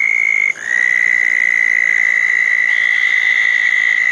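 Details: A southern toad trilling beside a small pond after a thunderstorm on a wet June 2014 night. One high trill cuts off at half a second, and a slightly lower, steady trill immediately takes over. A faint higher buzz enters near the end.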